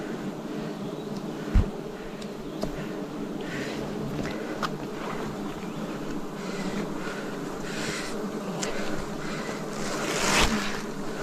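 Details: Swarm of wild bees at a forest honey harvest in 2026, giving a thick continuous hum with stacked low overtones, broken by a few sharp knocks and brief rustling bursts.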